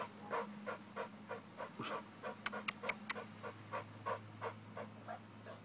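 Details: During a muscle-building workout, an American bulldog pants in rhythmic, breathy puffs, roughly three each second, while a brief cluster of sharp clicks sounds midway over a low background hum.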